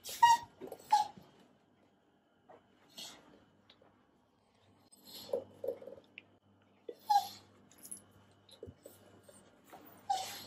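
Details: Beagle named Gromit chattering teeth while hungry and kept waiting for breakfast, with another dog, Penny, whining at delays. Sparse sharp clicks and a few short high whines come in clusters separated by quiet gaps, plus soft breathing.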